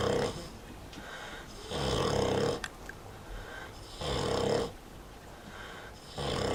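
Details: A sleeping Vietnamese pot-bellied pig, the eldest of a captive-bred herd, snores indoors: long broadband rasping breaths about every two seconds with quieter pauses between them, in a small enclosed space.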